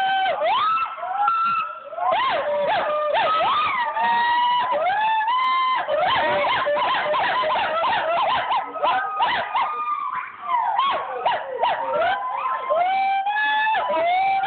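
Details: Gibbons of several kinds (siamang, pileated, Nomascus, Javan, hoolock) calling together in a dense, overlapping chorus of whooping tonal notes that slide up and down, with fast repeated hoots layered over sweeping wails.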